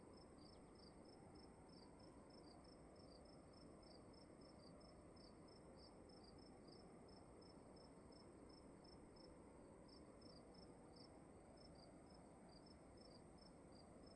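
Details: Crickets chirping in a dark room at night: two interleaved trains of short, high chirps at slightly different pitches, repeating steadily several times a second over a constant low, broadband hiss of room noise.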